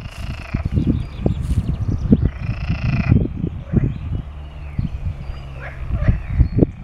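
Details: At a pond in Arboretum Gimborn, Doorn, Utrecht, Netherlands, a chorus of unseen adult male water frogs calls in the breeding season to announce their presence and attract females, with low, rattling, overlapping croaks and faint higher calls.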